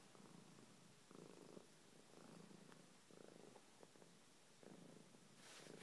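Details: A cat purring indoors in even inhale-exhale bursts about one second apart, a soft low rumble with a faint hiss at the very end.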